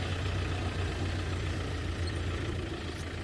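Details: A steady low rumble of an idling vehicle engine fills the whole stretch, with no animal voices heard.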